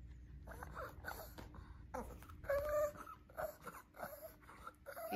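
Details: A Shih Tzu asking for more treats indoors with a series of short, whiny, talking-like yelps and moans, one louder drawn-out whine in the middle, with a steady faint hum underneath.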